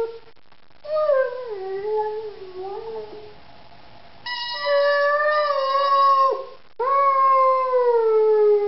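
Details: Singing Rhodesian Ridgeback Zari, three years old: a wavering lower howl that bends up and down, followed by two louder, steadier sustained howls gently falling at their ends.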